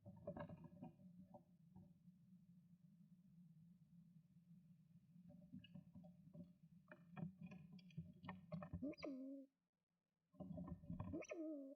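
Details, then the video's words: Young squirrel about 10 weeks old, tearing bark strips for its nest bed, squeaks in protest after being startled by adult male squirrel Flash at the entrance; low rumbling, scraping, then short squeaks and a rising then falling squeal near the end. "Erschrockenes kleines Eichhörnchen quietscht 🥺 Frightened little squirrel squeaking 🥺"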